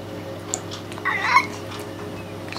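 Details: Scruffy, a 16-year-old pet cat whose voice is fading with age, gives a short two-part meow at mid pitch that sounds like "hello", set against a steady low indoor hum.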